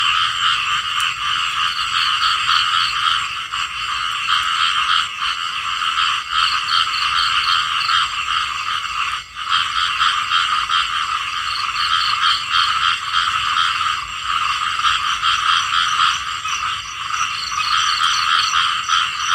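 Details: Small frogs calling together in a dense, unbroken chorus. Rapid pulsed croaks overlap and repeat throughout, steady in loudness, with a brief dip near the middle.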